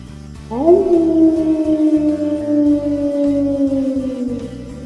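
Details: Eurasian wolf (Canis lupus lupus) of Europe gives a single long howl that swoops up, holds a steady mid pitch for about four seconds, then slides slightly lower, over soft background music.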